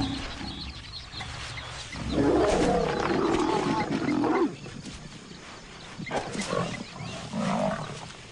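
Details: Lionesses of a wild pride, the youngest hostile to an outcast lioness, clash in aggression: a loud raspy snarling growl lasting about two seconds, a pause, then shorter gruff snarls.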